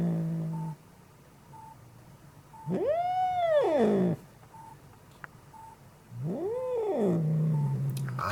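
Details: Angry cat screaming indoors: low moaning, then two separate arched yowls, each rising to a peak and sliding back down over about a second, with faint repeating beeps in the quiet gaps.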